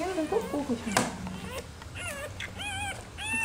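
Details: Rottweiler puppies being urged to nurse from their black mother. Human talking opens, then a sharp knock, then a series of short wavering puppy whines, rising and dipping, fill the second half.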